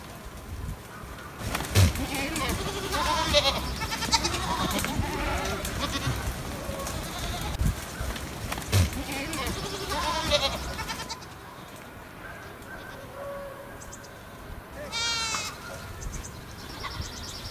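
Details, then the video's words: Stray goats in the hills above Sasa bleat loudly and shakily for about eleven seconds, calls overlapping in a tremulous chorus. Things then quieten, with one rising, harmonic-rich cry near the end and faint high chirps. "Αδέσποτα κατσίκια πάνω απ΄ τα Σασά"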